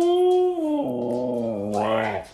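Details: Siberian Husky giving a drawn-out, talking howl: a steady tone that steps down in pitch, then wavers and rises briefly before fading, continuous for over two seconds.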